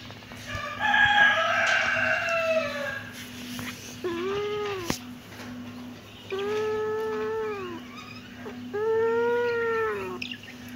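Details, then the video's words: Kitten with a rough, noisy cry at first, then three separate arched meows, each lasting about a second and rising then falling, set apart by short pauses over a steady low hum. "cute kitten meowing|kittens meowing sound effect"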